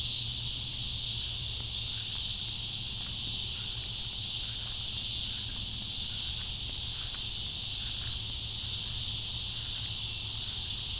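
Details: Cicadas producing a steady, unbroken high-pitched buzzing drone, a dense hiss-like wall of sound holding level for the whole stretch, with a faint low hum underneath.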